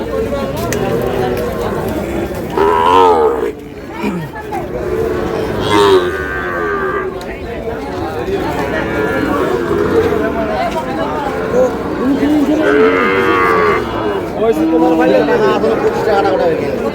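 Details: Sahiwal bull, 7-8 months old, at a livestock market in Dhaka, Bangladesh, on 6/7/26, sold to a farmer. Deep drawn-out lowing calls repeat several times amid busy market chatter and voices.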